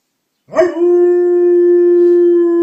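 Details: Dog at home howling in response to an ice cream truck passing outside; after a sharp onset, a loud, even, sustained tone holds almost perfectly steady for about two seconds.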